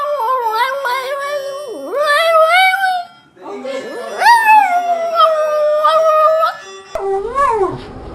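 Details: Dog making odd, human-like vocal sounds: wavering harmonic howls and whines that glide up and down, with a long sustained howl in the middle and a short final whine after a brief cut.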